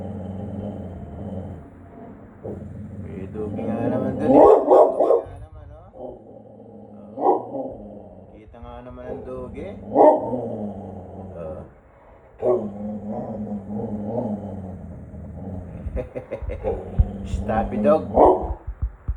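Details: Bulldog Bonnie reacts to a passer-by with repeated gruff barks, sometimes clustered in quick runs and sometimes spaced seconds apart, mixed with ongoing human conversation in a room.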